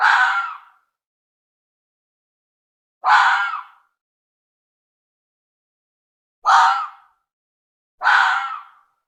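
A red fox vixen gives harsh, raspy cries spaced a few seconds apart, calling her cubs.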